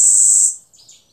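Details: A cicada in a yard in Amara, Ialomița, Romania, on 26 June 2020, gives a deafening, roughly 90-decibel, steady, very high-pitched buzz that cuts off after half a second.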